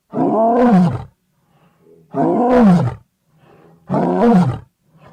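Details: Lion roaring: three deep, drawn-out calls about a second each, sliding downward in pitch, spaced roughly two seconds apart, with faint low grunts between them.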